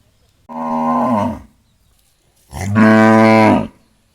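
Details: A cow gives two moos: a steady one-second call that sags in pitch at the end, then after a pause a louder, sustained, rich-toned moo lasting over a second.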